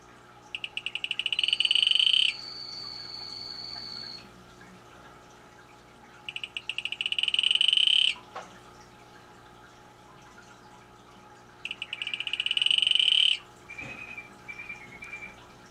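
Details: Male Atelopus hoogmoedi calling: bursts of rapid pulsed buzzy notes about two seconds long, high-pitched, repeated roughly every five seconds; a separate steady tonal whine and brief softer chirps also heard, with faint background hum.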